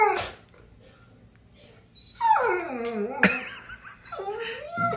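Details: Scared pet dog hesitating near a cat guarding his ball, voicing a drawn-out descending whine followed by a shorter rising whimper, while a woman keeps coaxing "get your toy" in the background.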